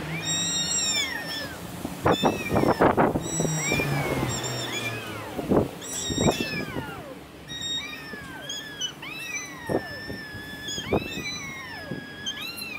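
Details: Long park fight between two male cats, a young white-and-silver mackerel tabby and a black tom. Wavering, arching yowls are repeated again and again, some rising and then bending downward, over scattered rustles and knocks.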